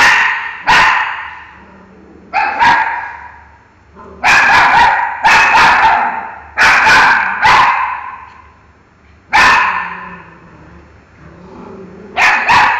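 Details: Barking at a mango, pet dog Miki lets off a steady series of about ten loud, broad barks, some in quick doublets, with brief pauses and faint whining undertones between them.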